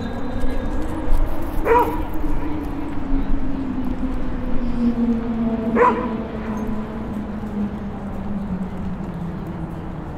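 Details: Dog barking in Toronto's Clarence Square Dog Park, Sunday April 23, 2017 at 2:09pm, Zoom H5 stereo recorder: two loud single barks about four seconds apart over a steady low droning hum and faint voices.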